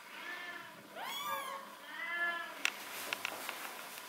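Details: Indoors, a golden shaded or ticked cat makes two strong, drawn-out meows with bright harmonics, followed by light tapping and handling clicks.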